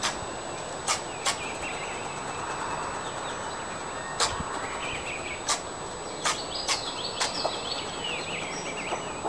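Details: An upset, not full-grown fox squirrel foraging for food in a backyard gives sharp, clicking alarm barks at irregular intervals.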